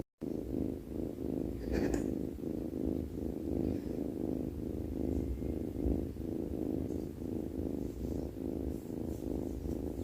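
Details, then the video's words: A sleepy cat snores, its low throaty rumble rising and falling in an even rhythm, with about one pulse every 0.7 seconds. A brief scratchy rustle breaks in near the start over quiet indoor background. "snoring sleepy cat"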